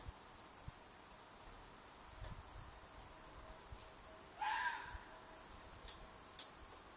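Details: Red fox calling from a field behind an apartment, loud enough to disturb sleep, possibly a mating call: one short, harsh, falling scream amid faint rustles and clicks in otherwise quiet surroundings.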